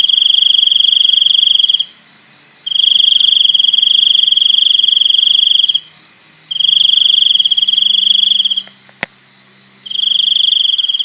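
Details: Shrill, even cricket trills in sections of two to three seconds with pauses of roughly a second between, a faint low hum beneath and a single sharp click near the end.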